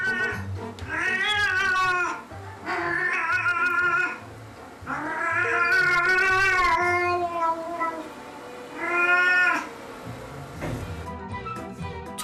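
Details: Domestic cat left home alone, crying mournfully and nonstop with no owner present; four long, loud siren-like wailing meows with rich harmonics, each rising then falling, spaced about two to three seconds apart, over soft background music.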